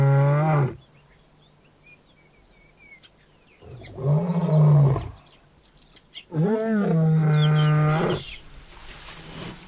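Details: Nomadic male African lions seeking to take over a pride by force. Three long, deep, moaning roars, each about one to two seconds, are separated by pauses. Faint music plays beneath.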